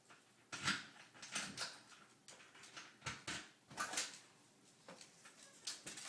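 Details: Andy, a pet dog indoors, sneezing, something dogs are said to do when happy; a run of short breathy, snorting bursts, some doubled, coming irregularly about a second apart in a quiet room.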